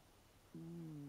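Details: Snoring of Leo, an eight-year-old American Shorthair cat, recorded on a Panasonic LUMIX DMC-TZ7: a 'woon-woon' rather than 'goo-goo' snore. A low, steady humming drone starts halfway through and holds with a faint downward sag in a quiet room.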